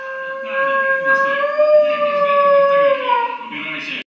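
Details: Nine-month-old female Shiba Inu named Tokime, from kennel Azijos Magija, holding a long, steady howl of about four seconds with a slight rise midway and a falling end, rich in harmonics.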